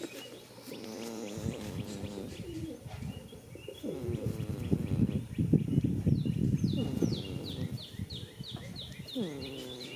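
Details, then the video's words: In a field on the first day of spring, a sleeping goat snores in a long, fluttering, gravelly rumble with tonal groans at either end, while birds twitter and chirp in rapid series. "heres a goat snoring for 16 minutes"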